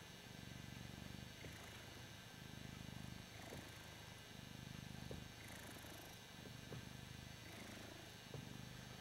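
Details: Ragdoll cat purring while enjoying being adored: a soft, low rumbling purr that swells and fades in steady cycles about every second, with faint background hiss.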